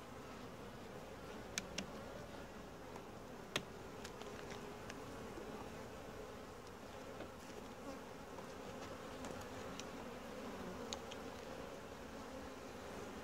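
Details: A calm, gentle honey bee colony hums steadily while its hive is inspected. The drone is even and continuous, broken by scattered sharp clicks and taps from the hive frames.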